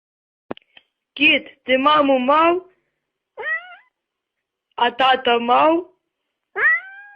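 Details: Domestic cat from a funny-cat compilation giving a run of loud, harmonic meows: drawn-out wavering cries, then shorter upward-bending mews separated by silent gaps, five bursts in about seven seconds against a quiet background.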